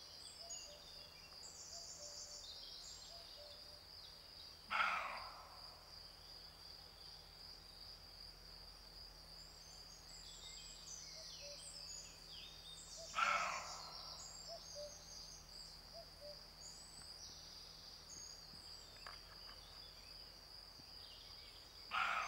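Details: Male roe deer in rut gives three harsh, broadband barks, each about half a second long and roughly eight to nine seconds apart, over a steady high insect drone and quiet rural background.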